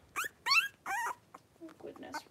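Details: Five blenheim Cavalier King Charles Spaniel puppies aged three weeks wrestle in a home puppy pen; three loud harmonic yelps, each sliding downward, come in quick succession, then softer scuffling grunts and small squeaks.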